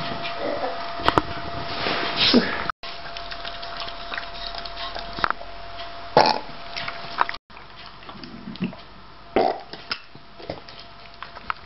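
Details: Eiyu, a nine-month-old male Shiba Inu, burping after a meal, as he does after every meal: a few short, throaty burps spread across the recording, near the start and again around two, six and nine seconds, with quiet indoor noise between.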